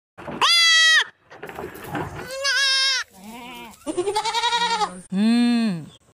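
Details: Goats bleating in a sequence of loud, wavering, nasal cries of varying pitch, some quavering in rapid pulses, separated by brief pauses.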